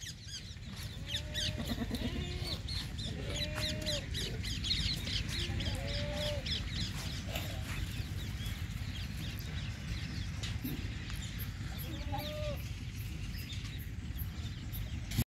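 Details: Sirohi goats at a goat farm in Nagaur, Rajasthan, India. Short wavering bleats come in a cluster over the first six seconds and return once near twelve seconds, over a steady loud rumbling background.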